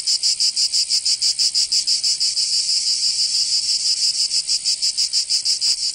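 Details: Cicada song in summer, Provence, southern France: rapid rhythmic buzzing pulses that blur into a steadier drone midway, then pulse clearly again, shrill and insistent.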